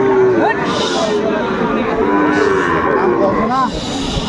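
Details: Sahiwal bull calves for sale at a busy Saturday cattle market in Aftabganj, Kurigram, Bangladesh, 27 July 2024; short wavering moos and a brief rising call rise over steady crowd murmur.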